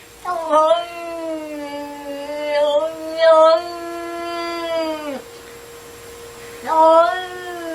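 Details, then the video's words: Pet cat indoors giving a long drawn-out tonal yowl lasting nearly five seconds, steady then falling at the end, followed by a second rising yowl after a short pause; a faint steady hum runs beneath. "funny noise cat"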